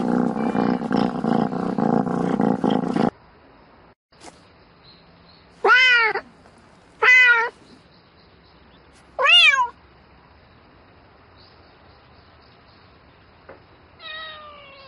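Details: Domestic cat calling for a mate at night, meowing in bouts: rustling noise at first, then three sharp arched meows a second or more apart and a softer final call.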